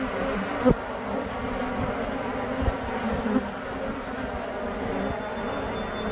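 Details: Honey bees nesting in a tree in the suburbs, first thought to be a wasp nest, hum in a steady, low, droning buzz from many wings at once.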